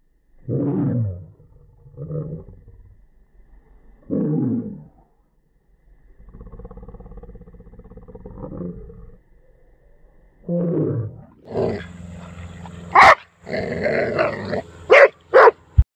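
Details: A dog barking at a mushroom, played in slow motion: deep, drawn-out, rumbling barks in separate bursts with pauses between them, and a lower droning stretch midway. Sharp clicks and brighter noises come near the end.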